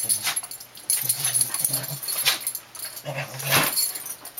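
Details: Two young Dandie Dinmont Terriers, cousins Dash and Patty, aged 3 and 2, romping together in play. Low rumbling growls come in two short bursts amid scuffling, clicking and jingling sounds of their tussle.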